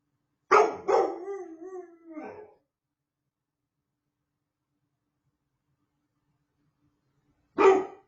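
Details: Puppy giving its first howls: two sharp barks running into a short, falling, wavering howl, then silence and one more abrupt bark.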